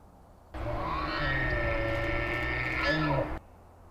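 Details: The Sheriff, the largest elk bull, bugles at night while another bull challenges him among several bulls, two days after a fight that broke his tine. A loud, harmonic, roaring call lasts about three seconds and rises at the end.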